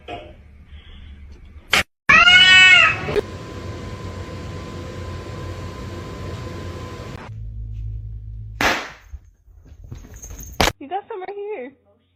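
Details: Kitten giving one loud, tonal meow, then a long steady hiss of background noise, a couple of sharp clicks, and a few faint, wavering mews near the end.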